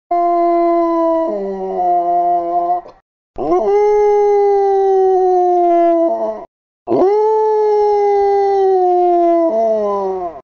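A Basset Hound gives long, mournful howls, each drawn-out note holding steady before sliding down.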